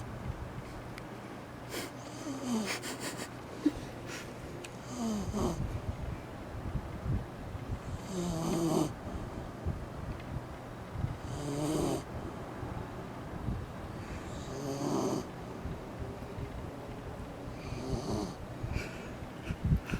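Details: Eri-chan the Shiba Inu asleep with eyes open, snoring loudly on a hot summer day; a long run of raspy, whistling snores about every three seconds, some with soft snorts, plus faint tapping and handling noise.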